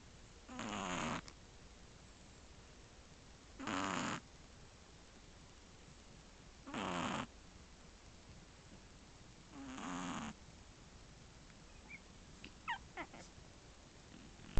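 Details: Sleeping Shih Tzu puppy aged 1 month 3 weeks, sharing a bed with two sister puppies, recorded July 2011; four long, rough snores repeat roughly every three seconds, then faint high squeaky chirps follow near the end.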